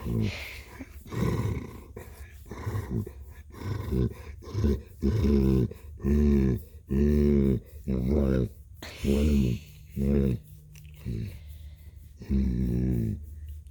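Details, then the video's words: Cat purring indoors: a human voice talks over the opening seconds, then steady low rumbling purr bursts come at about one per second, and speech returns briefly near the end. "Blue purring"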